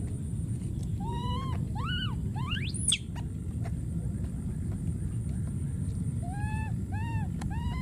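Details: Wild baby monkey screaming and calling for its friend: arched, tonal wails repeat in short bursts, with one sharp, shrill rising scream in the middle, over a steady low rumble of outdoor background noise.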